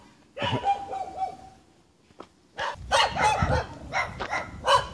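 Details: Jamaican dogs in the hills barking at the person filming; a drawn-out tonal note opens, then after a pause a run of sharp, loud barks comes in clusters over the last half.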